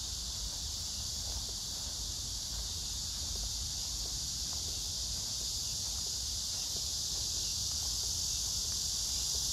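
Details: A dense cicada chorus with other insects, recorded 9 August 2024 among pink crape myrtle blossoms in Hwarang Park, Choji-dong, Danwon-gu, Gyeonggi Province. The sound is a steady, high, hissing drone with no breaks.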